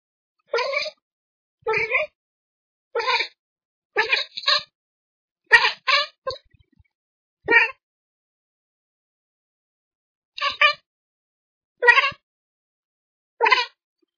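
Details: Bengal kitten chattering at birds: a series of short, harmonic chirping bursts, each about a third of a second long, coming in irregular groups with quiet gaps between them.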